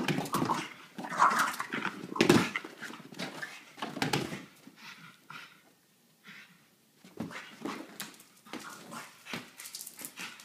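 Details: French Bulldog puppy, a ten-month-old male, excitedly playing with his favorite giant yellow ball in a small room; clusters of quick huffing bursts and whimpers, loud in the first four seconds, then a lull before sparser bursts return.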